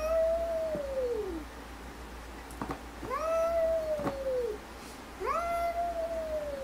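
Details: Cats arguing: three drawn-out, harmonic yowls, each one sliding slowly downward and coming roughly every two seconds, with faint clicks and a quiet background between calls.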